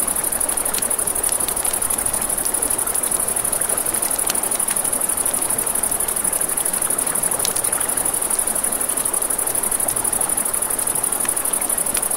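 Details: Steady shrill pulsing of crickets fills a nighttime riverside scene, accompanied by frequent crackles and pops from a campfire and the low rush of the stream.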